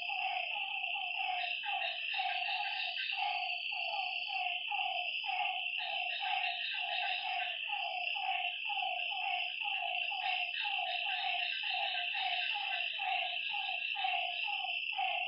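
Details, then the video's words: Frogs calling at night by a lake: short, nasal, downward-sliding notes repeated rapidly, several each second and overlapping, over a continuous shrill high-pitched chorus of night creatures. "Lakeside night creatures and frog sounds"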